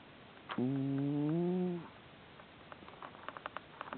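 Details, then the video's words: Sleeping house cat Hamburger gives one drawn-out, humming snore lasting just over a second, followed by quiet breathing and small clicks. "Our Snoring Cat 我們家睡覺會打呼的貓"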